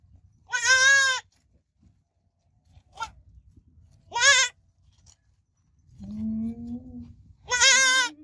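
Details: Young goat giving three high, trembling bleats a few seconds apart, plus a short faint squeak and a lower, flatter, longer cry near the end.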